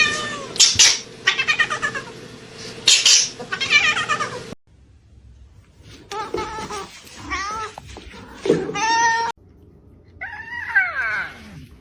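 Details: Domestic cat, described as jealous, meowing and caterwauling in wavering, bending cries mixed with short clipped segments, abrupt cuts between sections and some human voices in the background indoors.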